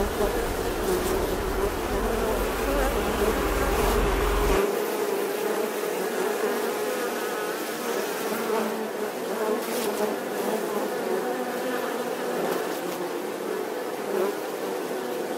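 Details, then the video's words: Bees drone in a continuous, busy hum; a deep rumble underlies the first few seconds then stops, leaving the even buzzing with slight swells in loudness. "The sound and picture of the Bee"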